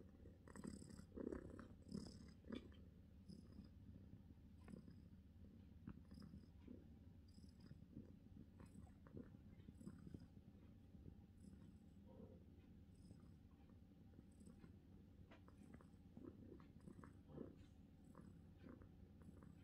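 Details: Relaxed British Shorthair cat purring continuously in a quiet room, the low even rumble going on without a break, with occasional small clicks and chewing-like noises.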